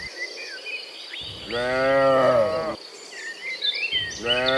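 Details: Cows mooing in the morning while returning from the field to the pen: one long harmonic moo rising then falling, about a second and a half, with a second moo starting at the end; chirping birds throughout.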